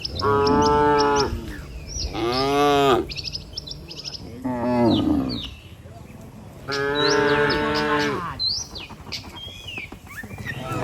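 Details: Tame cattle, dozens in a herd, walking home together to the barn after a day on open pasture; several long harmonic moos, some rising then falling, with bird chirps in the background.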